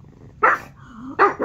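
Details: Pet dog Norman reacting to Netflix on the television with two abrupt, punchy barks about three-quarters of a second apart, the second one doubled, over a quiet low background hum.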